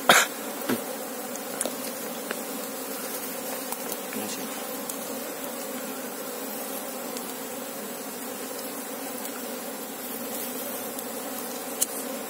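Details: Asian honey bee (Apis cerana) colony, searched for its queen: a continuous, steady humming drone of many wings, with scattered clicks and taps, louder at the very start.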